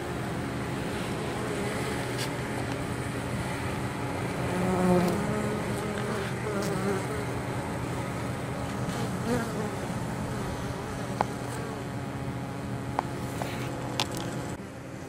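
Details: Honey bees carrying pollen and nectar into their hive on a mild 23 October, foraging in fields close to the apiary; a constant layered buzz with a louder passing bee near five seconds and scattered clicks later on.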